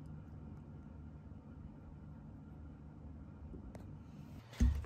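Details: A quiet room with a low hum and a brief thump near the end, with no animal voice.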